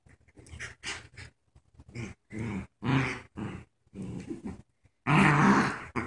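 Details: Puppies playing tug of war indoors, one paralyzed and in a diaper; rough growls and grunts in irregular bursts, ending in a longer, louder growl lasting about a second.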